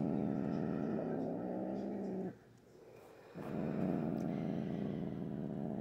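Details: Female pet cat, unusually grumpy at night, growling for a long time: a low, throaty rumbling growl with a steady pulsing texture, pausing for about a second before resuming just as deep and continuous.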